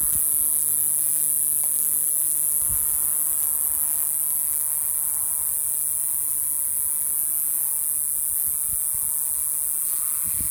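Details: Noisy male cicada in Ruch, Oregon, calling to attract females from a Pacific Madrone shedding bark in June; an unbroken, shrill high buzz holds steady throughout, with a few faint low knocks.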